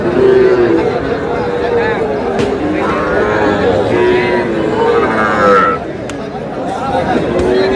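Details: Bull calves at a crowded livestock market in Kushtia, Bangladesh, on 23 June: repeated short lowing moos from several animals in turn, mixed with human speech and a general market hubbub.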